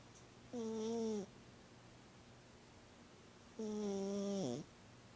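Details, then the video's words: Snoring from Gidget, a female house cat, asleep indoors and louder than her normal: two drawn-out, droning breaths about three seconds apart, each a low harmonic hum that sags in pitch at the close, quiet room between. "Gidget Snoring -- adorable!"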